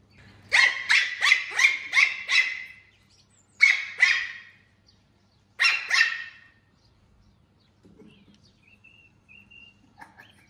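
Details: Puppy named Puffyk barking while reacting to a laser pointer, alongside a kitten named Street: a rapid run of six high, sharp barks, then two short bursts of three or four barks, ending in faint soft whines.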